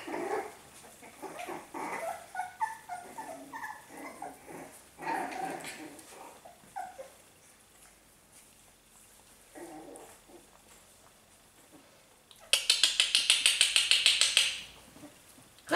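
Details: Australian Terrier puppies, five weeks old, giving a run of whining, whimpering calls in the first seconds, then quieter stretches before a loud burst of rapid high rattling noise near the end.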